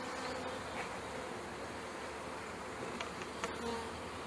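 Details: Package honey bees being shaken into a new hive in May 2013, bees crawling onto a sugared hand; continuous low, droning buzz of many bees throughout, with a few faint clicks late on.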